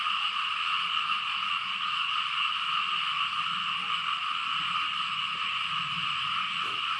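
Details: A rainy-season chorus of frogs and small frogs ringing out across open fields in Laos as rain falls. The massed calling blends into a constant high buzzing hum, even in loudness, with faint low rumbling beneath.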